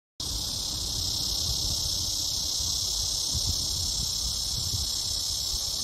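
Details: Cicadas calling in summer as the hot weather sets in: a steady, dense, high-pitched buzzing drone that runs unbroken and even in loudness from start to finish, with faint low rumble beneath.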